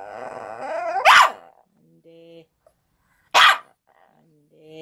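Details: Shih Tzu dog during a broadcast rehearsal gives two short, sharp, loud barks about two seconds apart. Soft steady electronic tones sound between them, and a person's voice is faintly heard at the start.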